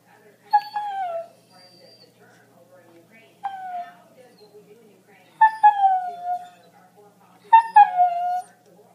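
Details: Female husky indoors, begging for a piece of her owner's breakfast: four drawn-out, howl-like whines, each starting high with a sharp onset and sliding slightly downward, spaced about two seconds apart, with quiet gaps between.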